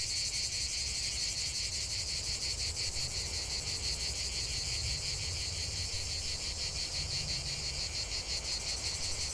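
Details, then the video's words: Cicadas in full song in nature, a bright pulsing shrill chorus, steady throughout, over low rumbling background noise. "45 min de chant des cigales"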